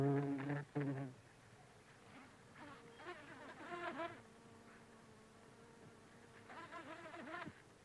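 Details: Bumblebee of the buff-tailed species (Bombus terrestris) feeding among flowers: a loud low buzz at the start, then fainter, intermittent droning with pitch swoops as it moves between blooms, over soft background hiss.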